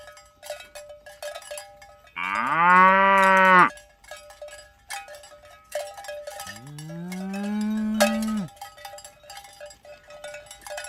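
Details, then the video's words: Tame cows driven toward the pen in the morning on village roads; two sustained moos, the first level and loud, the second rising then steady, over continuous clinking cowbells. "Asmr Sapi Moo | Suara Moo"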